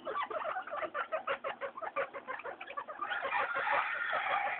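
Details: Three pet guinea pigs, Mayumi, Archie and Miyuki, noisy and happy during their weekly floor time; rapid, chirpy squeaks pulse about three times a second, then merge into a denser, continuous squealing chatter.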